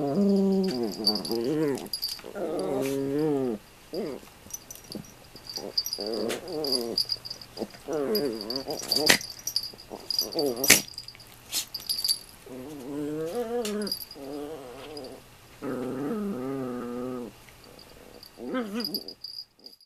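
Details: Two pet Toy Poodles, Toffee and Komugi, roughhousing in play: repeated bouts of wobbling, whiny growls rising and falling, broken by brief pauses and sharp knocks, over a faint constant low hum.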